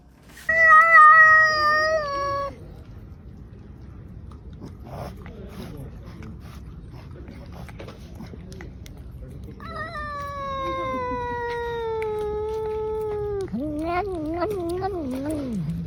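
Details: Domestic cat giving long, drawn-out meows: a steady, even-pitched wail of about two seconds, a pause with faint background noise, then a longer falling cry that breaks into a wavering, yowling end.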